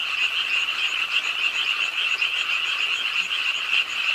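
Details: Frogs at a pondside in a Suwon city park, South Korea, croaking as rain falls late at night; a brief burst of dense, rapidly repeating rattly calls, many voices layered without gaps.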